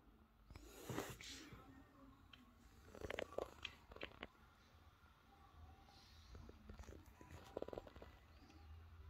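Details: Masi, a street cat, sniffing to check whether she was betrayed with other cats: a steady low rumbling purr runs throughout, broken by soft rustles and a few sharp handling taps.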